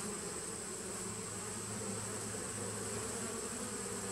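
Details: Brief stretch of honey bee drone from a 2017 nucleus colony, 19 September 2018: an unbroken, humming buzz with a deeper steady tone running beneath it.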